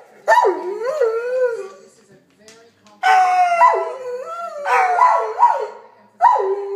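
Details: Pet Doberman singing, a series of loud, wavering howls that slide up and down in pitch, each lasting about one to two seconds with short pauses between them, and a brief quiet gap in the middle.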